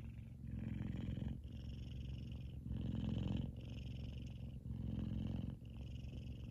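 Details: Loud purring from Kumba, a male F2 Savannah cat dozing and twitching in his sleep; a rich low throb rises and falls with each breath, cycles lasting over a second, in a quiet room.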